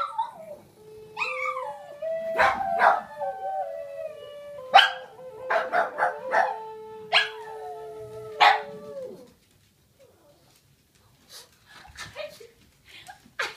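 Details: Boston Terrier howling along with a Native American flute: a long steady flute note runs under the dog's sliding, wavering howl, followed by sharp clicks and knocks, then near silence.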